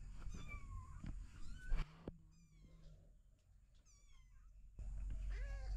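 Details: Kittens of a cat family of three kittens and their mother, found in a house storeroom, meowing repeatedly; short high mews with harmonics, some sliding downward, scattered across the recording with brief thumps and low background noise.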